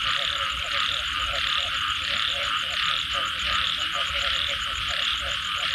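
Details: After rain, frogs keep up a busy croaking chorus, short pulsed notes repeated roughly 87 times a minute, overlaid by a steady high-pitched buzzing background.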